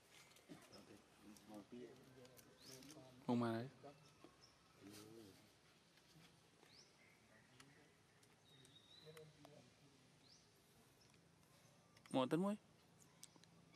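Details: Monkey screaming while chasing another monkey and calling for help: two loud, brief, strained screams that rise and fall steeply, one early and one late, separated by quieter stretches with people talking nearby.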